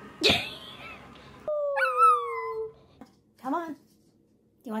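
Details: A puppy lets out a long, thin whine that slides slowly downward, then follows with a couple of brief, soft yips, after an opening sharp cry; the room is otherwise quiet.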